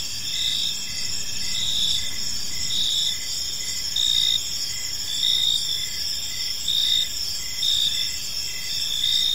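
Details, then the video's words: Crickets chirping in a park as evening unfolds: steady high-pitched trilled pulses layered in several bands, many insects calling at once with a soft low background hiss. "Park Serenade: Cricket Sounds in a Peaceful Park | Evening Ambience"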